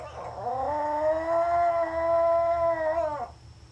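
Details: A tiny female Pomeranian howling while home alone, caught on a hidden camera: one long, steady, tonal howl lasting about three seconds that swoops up at the start and slides down at the end, over a faint low hum.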